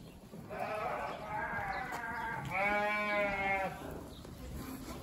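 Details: Dorper sheep giving two drawn-out, quavering bleats in close succession, the second higher and brighter, over a low steady background hum.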